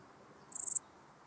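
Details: Small Gold Grasshopper singing at Elsbethen, Austria, on 26 September 2021, captured with an ultrasound detector; a very high, short burst of about six rapid raspy pulses lasting a quarter second, against quiet background.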